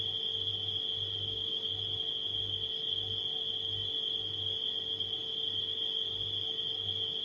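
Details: Crickets at night sustain a continuous high, even trill above a refrigerator's low, rhythmically pulsing hum and a thin steady mid tone.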